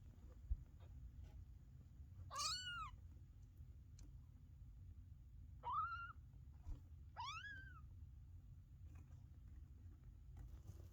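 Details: Maine Coon kittens only a few days old, huddling into a pile, give three thin, high mews that rise and fall, spaced a few seconds apart over a low steady rumble.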